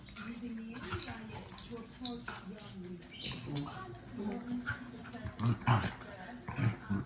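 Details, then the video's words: Dogs fighting, giving rough, harsh broadband snarls and yelping bursts that grow louder and closer together toward the end, with people talking over them throughout. "Dogs Fighting For 1 Minute"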